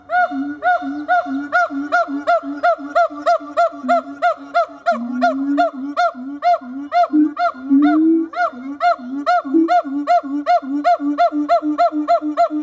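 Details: A siamang, one of two adult zoo siamang gibbons in a howling display, gives loud, ringing barks repeated about twice a second in a steady series.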